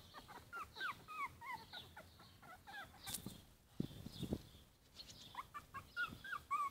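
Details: Yorkshire Terrier puppies, four weeks old, whimpering: thin, high squeaky whines that bend up and down, scattered through the clip with short gaps, plus a few soft low thumps.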